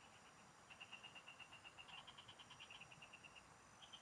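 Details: Frogs calling in fields in the Philippines while someone fishes: a fast run of short, high, evenly spaced notes repeated about eight times a second, pausing briefly, over a soft steady hiss.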